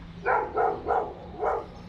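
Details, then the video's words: Dogs inside an apartment building, heard as noise pollution by neighbours: four muffled, mid-pitched barks in quick succession over about one and a half seconds, with a steady low hum behind. "noise pollution caused by dogs inside the apartment building"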